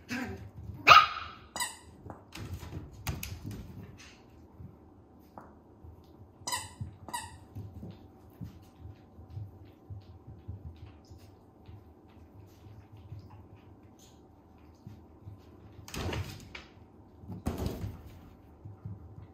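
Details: Three-month-old female Toy Poodle puppies, red and silver, let out short, piercing yaps in quick bursts near the start, then again after a long pause, with a faint low hum under the quieter gaps.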